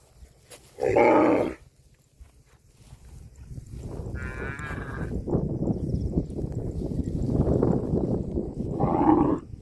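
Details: A cow gives two loud, short, hoarse moos near the start and end, with a higher, wavering bleat-like call in the middle and steady background rumble and noise between.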